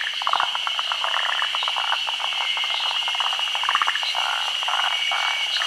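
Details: Forest green tree frogs endemic to Japan spawning at midday during the rainy season on tree branches over still water. Loud clattering, pulsed calls in short irregular bursts from several frogs, with a steady shrill hum behind them.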